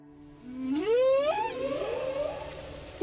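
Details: A humpback whale recorded in the Arabian Sea off Maharashtra, India, by researchers documenting its presence, gives a long, rising, harmonic whoop that slides upward, then settles into a lower wavering moan.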